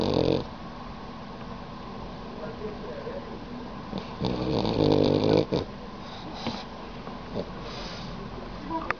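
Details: A pet dog snoring while asleep with its tongue out; rough, rasping breaths repeat steadily, with a louder rattling stretch around four to five seconds and background voices.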